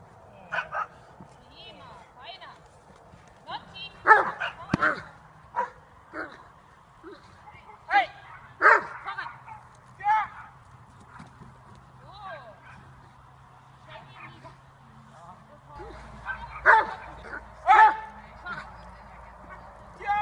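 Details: Dobermann bite training session from October 2015, dog nearly five years old; irregular sharp barks and yips mix with frequent human speech and commands, with clusters of loud barks near the start and end.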